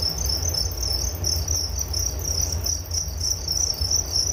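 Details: Crickets chirping for relaxation before sleep, a shrill high pulsing trill repeated rapidly without pause, accompanied by a quieter upper band and fairly strong low-frequency rumble throughout.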